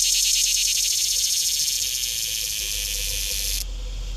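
A tree cricket gives a loud, high, hissing buzz with a rapid pulsing beat that cuts off abruptly.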